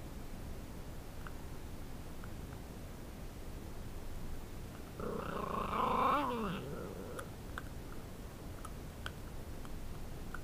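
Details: A Shiba Inu gives a brief, rough growl that rises and trails off while eating a piece of pork bone, warning others away from its food.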